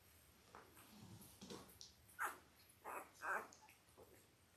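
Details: Belle's five-day-old Labrador Retriever puppies, born October 15, 2023, indoors on a puppy cam: several short, squeaky whimpers over a few seconds, the last three louder and closely spaced, against a soft background hiss.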